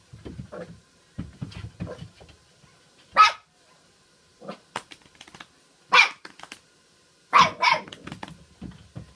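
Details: Poodles gathered indoors on the night before Christmas, giving several short, sharp barks spaced a few seconds apart, mixed with softer low grunts and shuffling in a small room.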